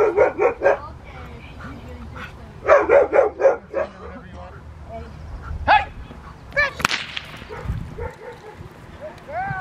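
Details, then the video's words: Rottweiler, Fire v LordsNLadies, in protection training with a helper at Victoria Rottweiler Club on May 9, 2021. Two bursts of four or five rapid, deep, harsh barks, then scattered shorter yelps, a sharp crack and faint voices. "Rottweiler protection training"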